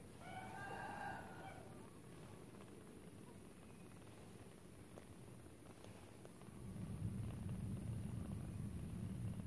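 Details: Four young kittens drinking milk; one drawn-out, tonal kitten mew with stacked harmonics rises in the first two seconds, followed by low rumbling background noise and faint handling sounds.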